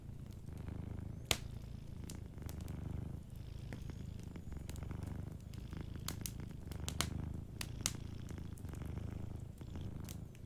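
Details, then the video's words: A cat sleeping by a crackling fireplace purrs in a low, soothing rumble with regular in-and-out cycles, while frequent crisp pops and snaps of burning wood sound over it. "Warm Fireplace Ambience with a Sleeping Cat 🐱💤Fireplace & Soft Purring"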